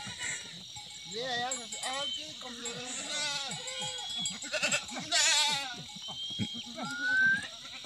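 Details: Himalayan goats in a forest near Munsyari, Pithoragarh, Uttarakhand, India, bleating repeatedly in wavering, quavering calls, several overlapping, with a man talking and calling to the herd and a bell clinking.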